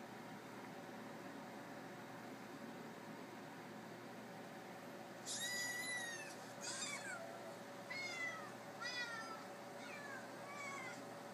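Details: Recorded cats and kittens meowing, played back from an iPad indoors while the cat Mars searches for them: a few high, bending meows in a short run over a steady hum.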